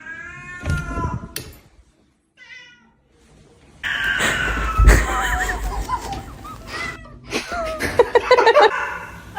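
A domestic cat opens with a clear, harmonic meow and a few short chirping notes. After a pause comes a louder, harsher run of wavering, drawn-out yowls with some background noise.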